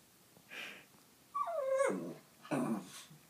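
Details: Indoors at night, pet dog Fritzy, a male, gives a brief falling whimper between two soft rustling, breathy noises in a quiet room.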